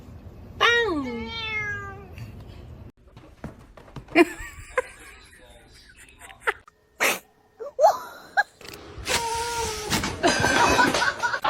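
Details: Kitten giving one loud, drawn-out meow that falls in pitch, followed by scattered clicks, thumps and rustling, with bursts of household noise near the end.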